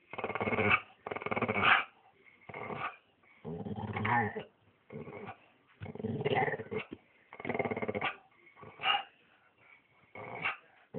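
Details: Staffy vocalising in a string of rough, broadband growly barks and grumbles, bursts coming about once a second over eleven seconds with short quiet gaps between them.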